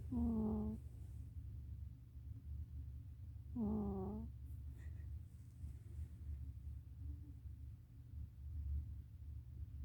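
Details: Sleeping cat snoring, giving two short, tonal, slightly wavering moans about three and a half seconds apart over a steady low background hum.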